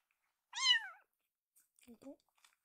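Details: Rescued kitten indoors resisting oral stomach medicine given morning and evening after meals: one loud, harmonic-rich meow falling in pitch over half a second, followed by faint soft speech-like sounds and light rustling.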